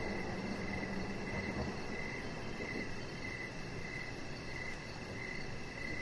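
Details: Crickets chirping in the evening outside near a deck with decoration lights; a steady, high, pulsed chirping runs throughout, with a faster shimmering trill higher up, over a constant low background rumble.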